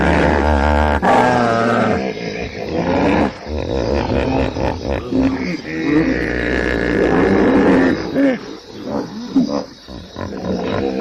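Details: Hippopotamus bellowing continuously: dense, roaring harmonic honks with fast, rhythmic wheezing pulses, loud throughout with brief dips.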